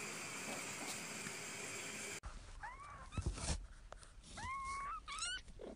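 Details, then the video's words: Kittens mewing after an abrupt cut from a hissy opening: clear, rising then falling high mews, several in a row, with handling noises and a short rustle between calls. "Cute Baby Cats And Kittens Meowing Compilation"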